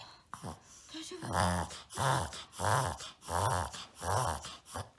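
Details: Indoors in America, one-year-old Shih Tzu puppy Maron wheezes in a bout of reverse sneezing, recorded to show a doctor: a faint tonal sound early on, then evenly spaced gasping snorts about every 0.7 seconds.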